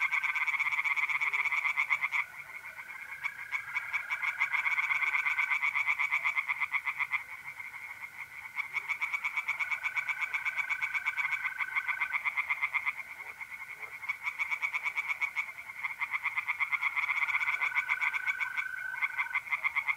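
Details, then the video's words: North-east Italian pond at night in mid-April: a dense chorus of singing tree frogs, fast croaking pulse trains rising and falling in loudness with brief lulls. Trilling mole crickets add a level whine underneath. "singing tree frogs in pond"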